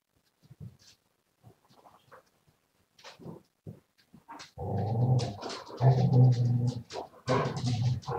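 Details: A Siberian Husky recorded live on 7 February 2019. Soft scattered sniffs and small sounds lead into loud, drawn-out, low, growly moaning vocalizations in three long stretches, rough and throaty, with brief pauses between.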